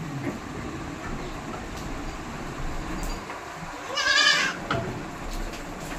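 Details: On a West Bengal farm of hybrid goats, a single quavering bleat rises midway through, heard over steady low rumbling and background noise.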